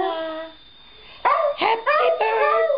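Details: Dachshund singing along to Happy Birthday at home; after a fading sung note, three short wavering howls rise and bend in quick succession, loud and tonal.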